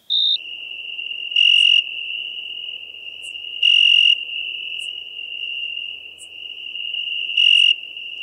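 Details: Continuous high, pure trill of a European tree cricket recorded in Venice, Italy, 2 September 2021. Louder swelling bursts rise above the tone three times, with a faint crackling hiss and brief ticks in the background.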